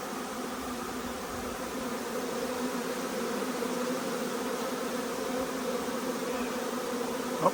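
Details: Arriving honey bee swarm, an even, sustained drone of massed wingbeats with clear hum bands near 250 and 500, ending in a short sharp click.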